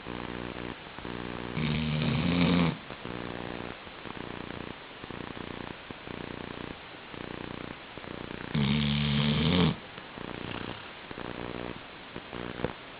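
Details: Sleeping Labrador Retriever snoring indoors: steady rhythmic rasping breaths, with two louder, longer, rumbling snores near the second and ninth seconds.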